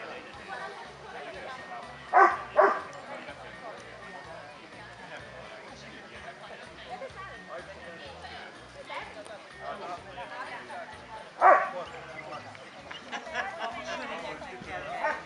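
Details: Kuvasz dogs at the 5th Kuvasz club show in Kishegyes (Mali Iđoš), 2017: a few sharp, loud barks, two close together early and one later, rising above steady crowd chatter and talking.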